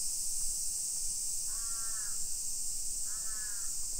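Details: Constant high shrill buzz of summer cicadas in suburban Nisshin, Aichi Prefecture, Japan, 1 PM, 28 July 2021, on a residential hillside; two hoarse crow caws about one and a half seconds apart cut across the drone.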